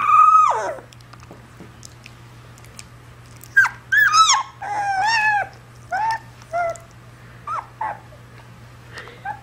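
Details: A puppy whimpers in a string of high, tonal whines, starting with a long falling cry and followed by short rising and falling yelps at irregular intervals, over a steady low hum.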